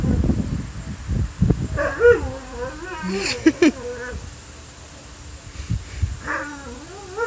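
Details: A pet dog howls in wavering, drawn-out notes that slide up and down in pitch, as if singing; the owner has no idea why it is doing this.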